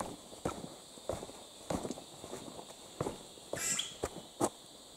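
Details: On the way down Mount Kinabalu, unseen cicadas keep up a constant high, shimmering buzz, overlaid by heavy crunching footsteps and one short sharp chirp-like note.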